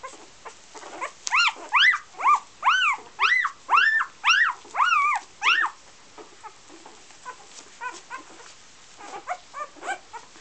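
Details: Golden Retriever puppies of the "A" litter from Great North Golden kennel in Iceland, offspring of Gabriella and Josh, giving a run of arched, rising-then-falling whines with bright harmonics, about two per second, then softer, scattered whimpers.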